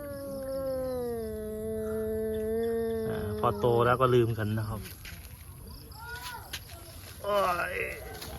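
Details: Pet cats fighting each other, a mother and her kitten: a long, steady, low yowl held for about three seconds, then broken, wavering caterwauls and a later rising wail, with background music.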